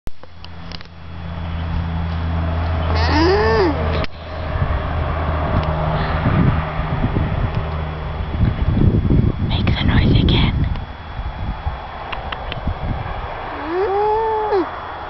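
Two short, nasal alpaca calls that rise and fall, heard over a steady engine rumble and voices.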